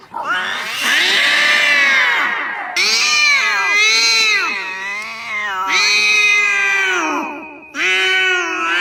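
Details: Cat yowling in a loud, drawn-out caterwaul: a long rising-falling wail opening the recording, then three more sustained, strained howls with wavering pitch, each broken off abruptly, with no other clear sounds.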